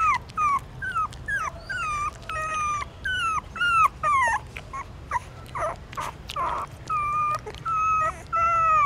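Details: Newborn puppies nursing on their mother in a stupa of a pagoda in Siem Reap, Cambodia; clear high downward-bending whimpers repeat about twice a second, with a few nasal squeals midway.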